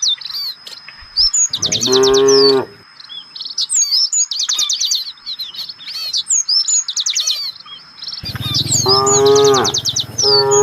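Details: Village cattle (sapi lembu kampung), part of a herd searching for fresh grass, give two drawn-out low moos: one about a second long, a later one nearly two seconds. Constant chirping and twittering of small birds runs throughout.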